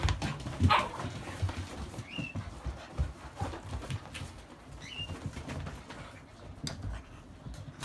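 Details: Indoors before sleep, a 72-day-old Akita puppy called Jun lets out two short rising whines a few seconds apart, with a sharp yelp early on, amid rustling and scraping movement.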